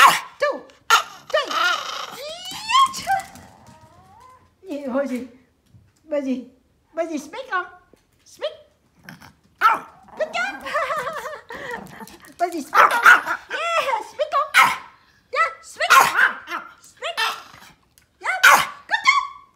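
A Pomeranian gives high, yappy barks on command, with a person talking between them.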